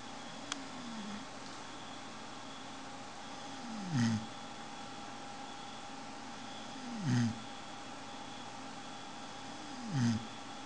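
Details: Sleeping pet dog snoring indoors: three low, drawn-out groaning snores, each sliding downward in pitch, about every three seconds against a steady hum of room noise.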